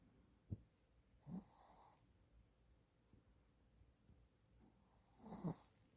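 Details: Shih Tzu dog asleep and snoring: a brief snort, a low rumbling snore about a second later, quiet breathing, then a longer, louder snore near the end.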